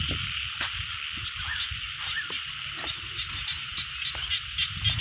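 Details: Frogs calling in a rice field: a dense, steady high-pitched chorus of rapid croaks and trills, with brief clicks and a low rumble of background noise.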